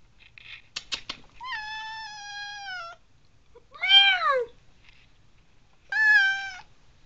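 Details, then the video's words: A male house cat with a whiny voice talking back to his owner; a few clicks, then a long level whining meow, a short arching meow near four seconds and a final level meow around six seconds, in a quiet room. "Conversation With My Cat"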